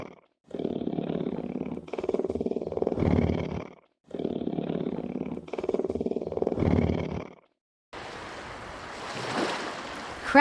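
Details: Lion roaring: two near-identical bursts of deep, rough, rumbling roars, each about three seconds long, separated by short silences, followed by a stretch of surf-like noise with a brief high squeal at the very end.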